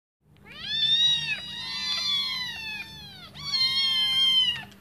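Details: Five hungry kittens give high, drawn-out meows, calling for their mother to come back and feed them.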